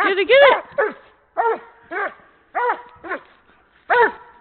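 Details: Doberman in Canada at play with a horse ball, letting out quick bursts of high, ringing barks, a doubled bark opening the run followed by single barks about every half second, clean background.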